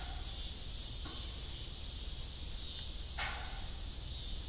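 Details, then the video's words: Crickets calling in the evening near an old rural windmill, their thin continuous high trill steady throughout, broken only by one short creak and a fainter squeak. "Evening Cricket Sound"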